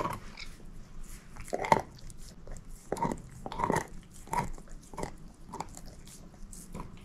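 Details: Female shepherd mix Moose biting and crunching a bone indoors: distinct crisp cracks spaced roughly every half second to a second, with softer gnawing between them.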